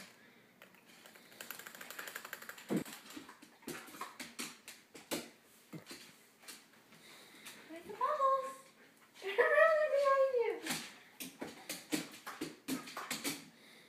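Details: Siberian Husky puppy seeing bubbles for the first time, indoors in a small room: a few rising-and-falling whiny yelps around eight to eleven seconds, amid frequent tapping and clicking sounds and a person talking.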